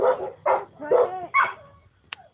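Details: Dogs barking at home as a family member stops by to drop off some things; four quick harmonic barks about half a second apart, then a short sharp click, in a quiet room.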